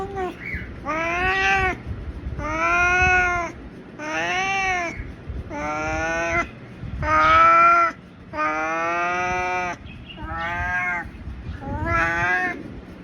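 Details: Batul Babu, the family's ginger male house cat, yowls in a long series of eight loud, drawn-out, wavering meows. Each lasts one to one and a half seconds, separated by brief pauses, with a slight rise and fall in pitch.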